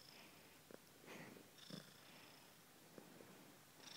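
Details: Kisa, a kitten, purring softly; a quiet, breathy rumble rising and falling in slow cycles, with faint higher hiss on each breath.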